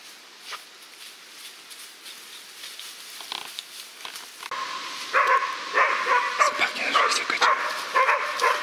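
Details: A 7-month-old West Siberian Laika female meeting a wild boar for the first time bays with rapid, ringing barks after a quieter start, alongside two 10-month-old females that had worked the boar for 30 minutes.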